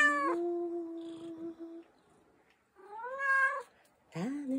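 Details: An American Shorthair cat, an affectionate cat being picked up and held in the morning, gives three clear, bright meows, one long and drawn out, then two shorter rising ones.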